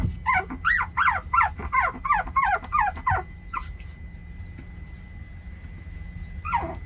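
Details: Puppies 24 days old give a run of about eight high, squeaky whimpers in quick succession, each sliding down in pitch, then a pause and one last whine, over a steady low hum.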